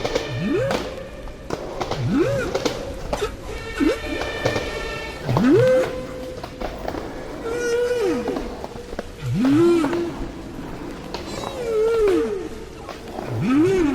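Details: Humpback whale song recorded five years after an earlier one, showing how whales in an area keep changing their shared song until the old one is replaced; repeated rising and falling moans, upsweeping whoops and higher whistled tones in a regular cycle.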